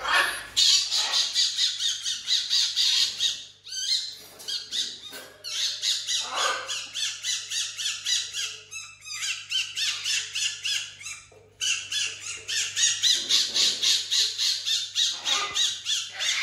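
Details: Tiny, a pet fennec fox living in a house with other exotic animals, lounging on a couch: loud, harsh, high-pitched chattering squawks in fast pulsing bursts, about three or four per second, broken by brief pauses.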